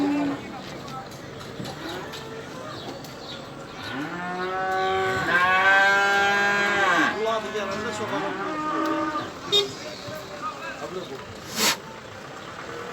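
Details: At a Beylaqan, Azerbaijan livestock market on 27 May 2021, where Simmental calves are on sale, one strong, rising then falling moo lasts about three seconds, with men talking nearby and sharp clacks afterwards.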